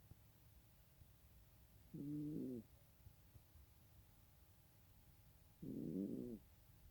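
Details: A cat snoring: two rough, rasping, low snores about four seconds apart, each lasting under a second, over a quiet steady background hum.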